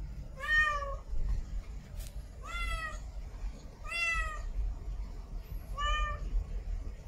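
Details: Domestic cat, a female in heat, giving four whining meows spaced about 1.5 seconds apart, fairly soft against a steady low-frequency hum.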